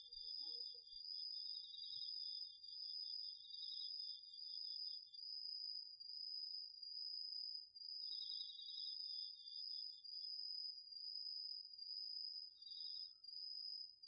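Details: Nighttime autumn insect concert from a home vegetable garden, crickets among the singers, taped on a DR-40X: a loud, steady high trill pulses about every second while a slightly lower trill joins intermittently in short runs.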